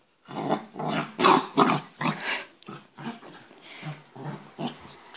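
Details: A male Pembroke Welsh Corgi puppy makes playful growls during playtime, running and jumping at a person's feet with a toy or bone in his mouth: short, rough grumbling bursts.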